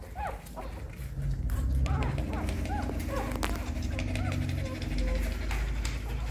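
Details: Newborn puppies suckling hungrily at their mother's nipples give many brief, thin squeaks and whimpers, each arching up and down, repeated irregularly over a constant low rumbling noise.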